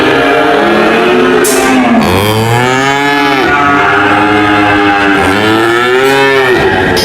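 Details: Loud, drawn-out cattle moos in two main waves, each curving up then down in pitch, with other lowing voices layered beneath and a short bright noise burst early on.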